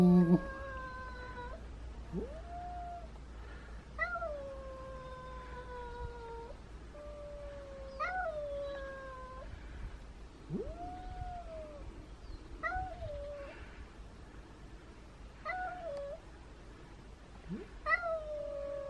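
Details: Domestic cats Elma, a timid two-year-old weighing only 3.5 kilograms, and Kutvonen, the biggest cat in town, meeting; a series of loud, drawn-out caterwauls, each starting with a sharp upward swoop then holding a steady, wavering tone, repeated every few seconds.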